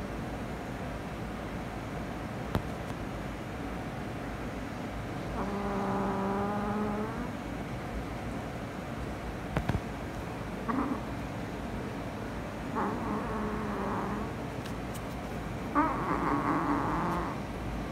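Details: Rescued stray cats indoors, a rescue kitten meeting a tabby cat for the first time: four drawn-out, low, harmonic meows, the first lasting about two seconds, the later ones shorter, over a steady fan-like hum.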